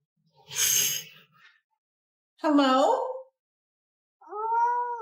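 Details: Orange pet cat arguing with its owner indoors: a short breathy hiss-like burst, then two drawn-out meows, the first bending down then up, the last a steady wavering cry, with silent gaps between.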